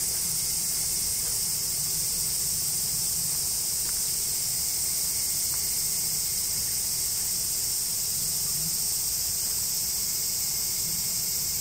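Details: Woods of the Yoro Mountains in Japan ring with a loud, constant cicada chorus heard from the Tokai Nature Trail, a bright sizzling hiss sustained evenly throughout, with a soft low rumble beneath.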